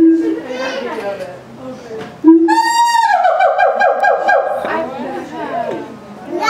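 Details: Captive siamangs at Auckland Zoo, 11 September 2012, in a noisy outburst that frightened children: a brief low hoot, then a long, loud wavering scream with a pulsing tremolo, followed by descending wails and nearby chatter.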